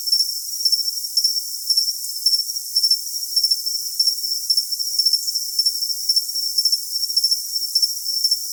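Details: Cricket chirping used for tinnitus masking: a steady, very high-pitched trill runs beneath sharp, bright chirps that come in small bursts about every half second. All lower sound is absent.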